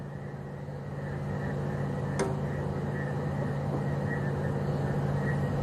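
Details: A steady low engine drone of an idling vehicle, with one sharp click and no animal calls.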